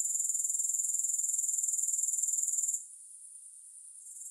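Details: Grasshopper trill, high and rapidly pulsed, strong for nearly three seconds, then dropping to a much softer, thinner buzz that lingers to the end.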